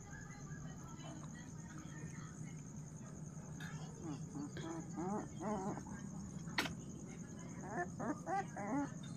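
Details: Puppy giving a run of short, high, wavering whimpers and squeals, clustered mid-way and again near the end, over a steady low hum and a thin high-pitched whine.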